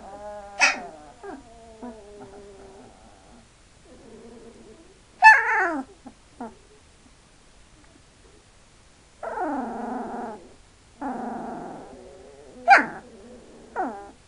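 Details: Two-week-old Hungarian Vizsla puppies whimper and squeal in thin, wavering cries with sharp yelps between.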